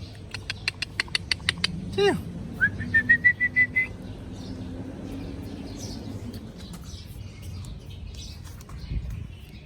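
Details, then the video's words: Hungry puppy whining for food: a rapid run of clicks, then a sharp falling squeal followed by a thin, high, steady whine held for over a second, with a low background hum. "Cute puppy making sound for hungry"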